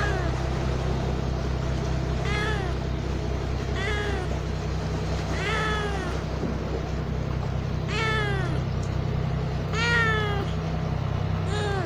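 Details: A talkative kitten, a street cat filmed in Japan, meows while walking toward the camera: about six clear, harmonic meows, each falling in pitch, spaced roughly every one to two seconds over a steady low hum.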